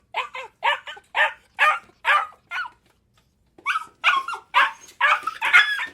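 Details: A dog barks in quick, sharp bursts, roughly two per second. A brief silence near the midpoint is followed by a denser, louder run of overlapping barks with a rougher, higher edge.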